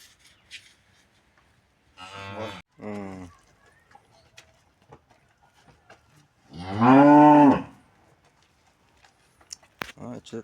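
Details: Cattle during removal of metal objects from its stomach using a magnet: a short, broken double moo, then a strong, loud moo of about one and a half seconds that rises slightly and falls, with scattered clicks and knocks.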